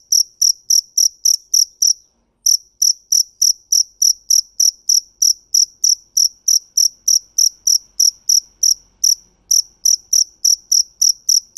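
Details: Field cricket (dế mèn) chirping in bright, high, evenly spaced pulses about three per second, with two short pauses before the steady rhythm resumes; background otherwise quiet.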